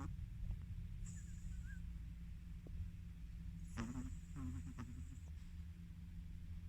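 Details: Chihuahua dog in deep sleep, snoring over and over while he sleeps; two short rasping snores sound near the middle, the second fluttering, over a constant low droning hum.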